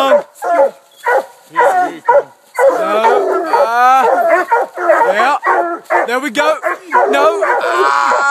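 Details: Coonhounds treeing a raccoon minutes after turn-out; a run of sharp barks gives way to long, ringing bawls and howls from several dogs mixed with steady choppy barking.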